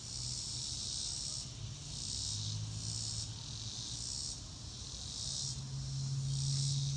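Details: Crickets outdoors under a blue sky, high-pitched chirps coming in pulsed bursts about every 0.8 seconds over a steady low hum.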